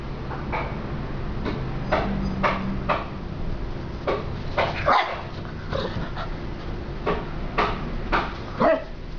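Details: A Golden Retriever puppy, whose sire is a JKC champion, gives a series of short, sharp barks at uneven intervals over a low background hum.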